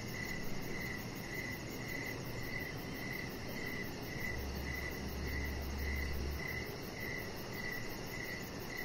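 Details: Crickets chirping outside on an evening deck under decoration lights: regular, clear pulses repeating roughly every half second, a high fine ticking trill, and a brief low hum partway through against a constant hiss.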